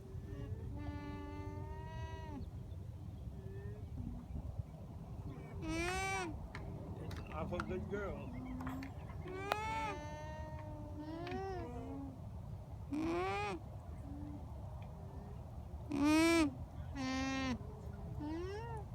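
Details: Alpacas on a farm in Townville, South Carolina, recorded up close on a phone: a series of short, tonal hums, some wavering and rising, others falling, spaced irregularly over steady low background rumble, with occasional sharp knocks and quiet human voices.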